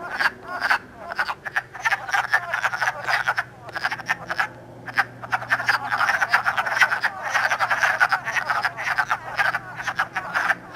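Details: Wood frogs calling and mating in early spring, March 2012, in Elmer, New Jersey, recorded on an iPod: a dense chorus of short, clucking croaks overlapping continuously in rapid bursts, with a faint low hum beneath.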